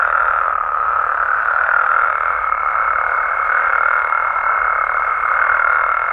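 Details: Nighttime chorus of Mexican frogs and toads, a thick wall of overlapping croaks that hums on without pause. A faint, steady high whine sits above it throughout.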